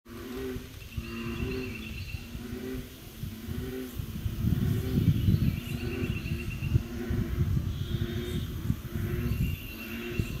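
American bullfrogs give deep, resonant, droning calls in short repeated bouts over a low rumble.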